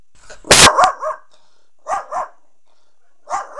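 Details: Poe, a pet dog who seems to dislike the neighbor, barks at them: three short bursts of one to two sharp, arching barks each, separated by about a second of quiet, with a loud thump at the start.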